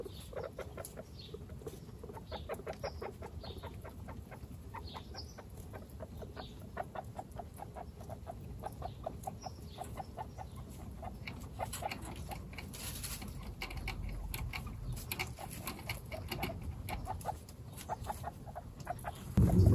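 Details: One-week-old baby guinea pigs, Snow, Pistachio and Pumpkin, kept as pets among 29 guinea pigs. Steady stuttering clucks repeat about three times a second, with a few thin high squeaks early on and rustling underneath.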